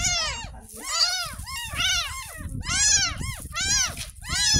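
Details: A 10-day-old rescued kitten calls insistently while being bathed for the first time, giving high, bright arched mews roughly every second, some doubled, above splashing water and handling sounds.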